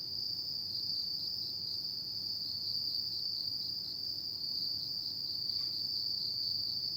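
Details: Continuous high, rapidly pulsed trilling from insects on an autumn night, steady in pitch and volume, with a faint brief click midway and low ambient noise.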